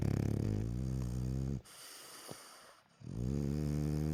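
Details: A sleepy rescued French Bulldog, lying with half-open eyes, snores in deep, rattling, buzzy breaths with a quiet pause between them.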